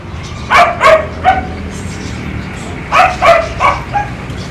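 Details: One-year-old German Shepherd named Kiefer, kept as a family dog in Bohol, Philippines, gives two quick clusters of three or four loud, sharp barks, separated by a brief pause.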